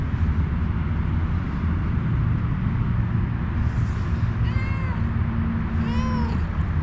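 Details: Stray homeless cat seeking a head massage gives two rising-then-falling meows near the end, the second longer and stronger, against constant low-pitched background hum.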